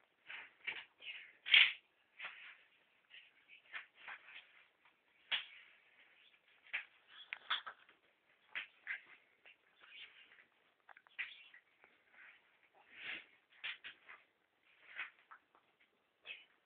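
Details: Rudi, a pet ferret, fighting for food indoors: a steady stream of short, scratchy bursts, some louder and sharper, come every second or so, with faint shuffling between them.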